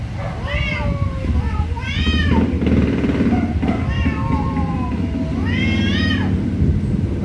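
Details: Angry cats meowing very loudly, with four strong arched meows that rise and fall, separated by softer overlapping calls, over a constant deep rumble.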